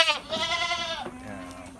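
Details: A goat in a fattening pen in Lhokseumawe, Aceh, Indonesia, gives one strong, vibrating bleat of about a second, then a quieter, lower, drawn-out tone follows, with faint farm noise behind.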